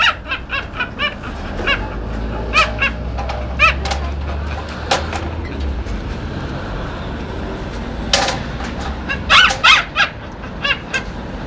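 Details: Duck-like squeaking from a dog, given as bursts of short, nasal, harmonic notes, some in fast runs and some spaced out, with a low engine-like hum and scattered clicks in the background.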